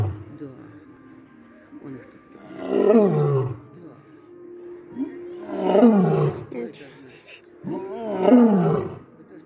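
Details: Lion roaring: three long, loud, throaty bursts about three seconds apart, each starting strong and sliding downward in pitch before fading, with quieter rumbling between them.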